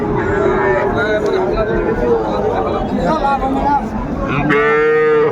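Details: Calf at Ambari cattle market, Mymensingh, Bangladesh, on Monday 14 January 2025, where young bulls and heifers are traded: a single loud, drawn-out moo near the end, after buyers and sellers talk over general market chatter.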